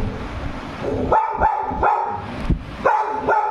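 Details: Labrador Retriever named Annie barking as if she has seen a ghost: five short, sharp barks, a quick pair near the start, a single, then another pair after a pause, over a low background hum.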